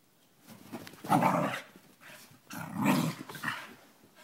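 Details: Dogs named Kirby and Cricket at play, two loud rough growling bursts around one and three seconds, low and grainy with harsh upper noise, then a shorter grumble, in an indoor setting.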